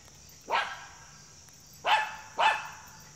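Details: A female Schipperke, wanting a squirrel, gives three sharp, high barks, the last two close together.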